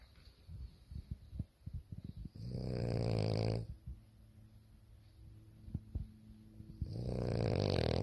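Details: A French Bulldog sleeping with her toy after a hard day snores in deep, rattling bursts, each drawn-out breath rasping loudly before fading.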